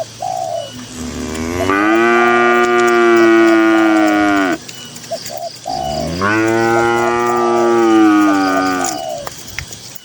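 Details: Tame herded cattle grazing in a cool green rural pasture: two long, loud, drawn-out moos, each about three seconds, rich and steady with a falling end, separated by a quiet gap; faint soft cooing, like a dove, in the background.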